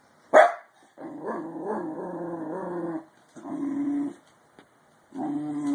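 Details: A Bull Terrier puppy yawns aloud. A sharp opening yelp is followed by a two-second wavering groan, then two shorter steady, low-pitched moans with short silent gaps between them.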